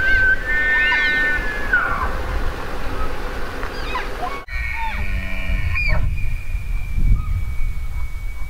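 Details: Elk bugling: a high, clear whistle with stacked overtones, then a long, steady, piercing whistled note that holds after a brief break, over a low rumble of wind.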